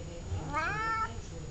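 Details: Chatty house cat answering with a single drawn-out meow, bending upward and then gently down, while a person repeats the cat's name in Russian around it.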